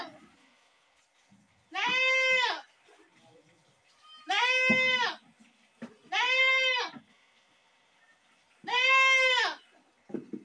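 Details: Screaming goat giving four loud, harsh, wavering bleats, each under a second long and spaced roughly two seconds apart, over a quiet background.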